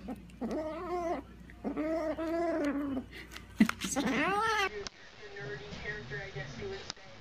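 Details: Domestic cat giving drawn-out, wavering meows: three long harmonic cries in the first half, each bending up and down, followed by softer, shorter mews in a small indoor room.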